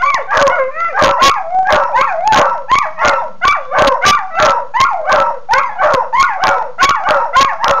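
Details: Pair of dogs squabbling over a bone, trading loud yelping barks and short howls that bend up and down in pitch, roughly one to two per second, in overlapping bursts.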